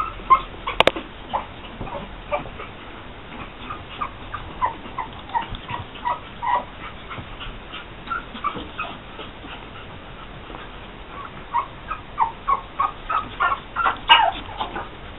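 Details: Young Pug puppies, born June 12, 2012 to Angel, squeak and whimper in clustered bursts of brief high yelps, quieter through the middle stretch and busier again toward the end, with a sharp click early on.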